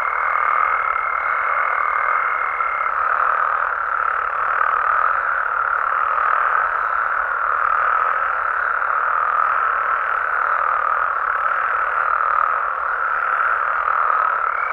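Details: Mexican frogs and toads calling at night in their natural surroundings, a thick continuous wall of overlapping croaks pulsing gently in loudness, a high steady tone present only briefly near the start.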